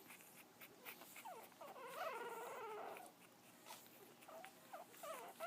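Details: Frenchton puppy asleep in a dimly lit room, giving a soft, wavering whimper that lasts over a second, followed by faint little squeaks. There is a hissy background.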